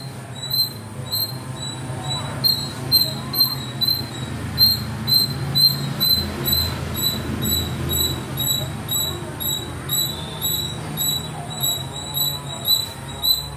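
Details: Little squirrel playing up in the trees, giving a steady, unbroken series of thin, high-pitched chips, roughly two each second, over a constant low hum.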